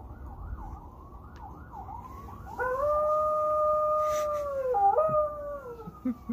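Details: A female American Eskimo dog answers sirens with a long, steady howl that wavers and drops at the end.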